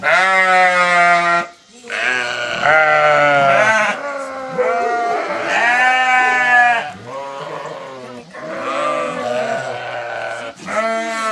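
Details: Flock of sheep answering as their farmer calls them: many loud, wavering bleats overlap almost continuously, long quavering cries rising and falling, with only brief pauses between bursts.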